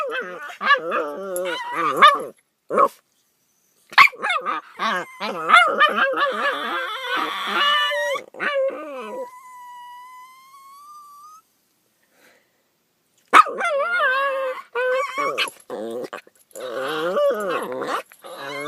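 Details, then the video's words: Two pet dogs making weird noises in the morning: warbling, yodel-like whines and howls in overlapping bursts, some short bark-like yips, then a thin drawn-out rising whine before more wavering howl-like calls resume. "Riley & Oscar Make Weird Noises"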